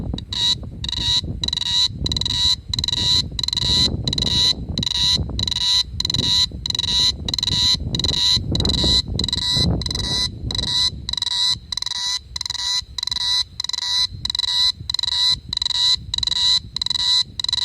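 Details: Summer night in Da-an District, Taichung City, 2017, with a cicada chirping, captured on an Asus ZenFone2. Its bright pulsed notes come in a brisk, even series of roughly two per second, and a low rumble fades partway through.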